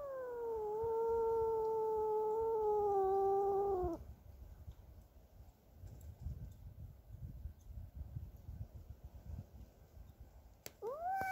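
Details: Domestic cat Cassey, defending her territory from a neighbour's cat, holds one steady, moaning yowl for about four seconds, followed by low rumbling background and a short rising wail at the end.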